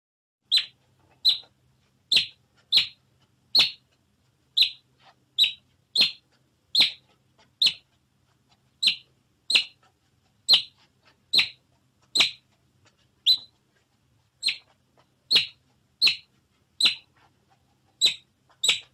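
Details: Otter giving a long run of short, bright, high-pitched chirps, a little over one per second at uneven spacing, clean and without other sounds.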